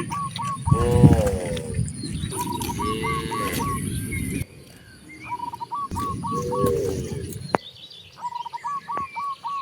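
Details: Free-roaming cows heading to open grasslands low in a few long, wavering moos, separated by quieter stretches where brief repeated bird chirps sound over outdoor noise.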